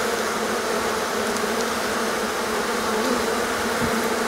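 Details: Honey bees in a swarming colony after a long cold, rainy confinement in the hive; a constant, dense buzzing roar of many bees with no pauses.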